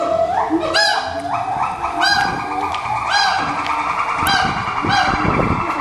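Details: A siamang, an endangered gibbon, gives loud, harmonic whooping calls that swell and rise about once a second, songs used to mark territory, strengthen family ties, guard fruit trees and attract a mate.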